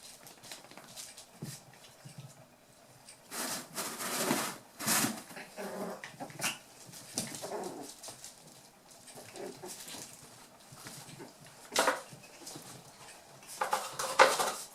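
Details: Eight-week-old toy poodle puppies from Tami's last litter playing together: short, low, rough growly bursts and squeaky yips come in uneven clusters, mixed with scuffling and scratching clicks of the tussle.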